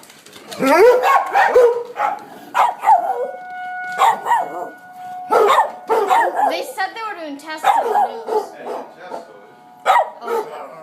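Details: Willy, a dog, barking excitedly at tornado sirens in Coon Rapids; loud irregular barks and yelps with falling whines, a steady siren tone running underneath and a person's voice in places.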